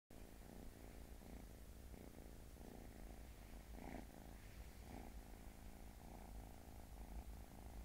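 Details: Leon, a pet cat, purring steadily: a low continuous rumble with a soft pulsing rhythm that lasts the full eight seconds, with a few slightly brighter bursts midway and no other clear sounds.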